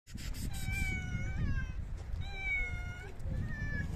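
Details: Hungry stray cats at a daily outdoor feeding with dry cat food, five homeless cats meowing: long harmonic meows around 0.5, 2.5 and 3.5 seconds, steady and slightly falling, over constant low rumbling background noise.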